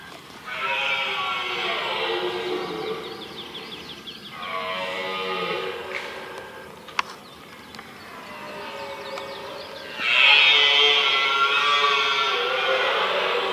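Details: Red deer in the middle of a rutting ground during the rut, giving long, harsh, strained roars. Three drawn-out bellows are separated by quieter gaps, and the last roar is the loudest.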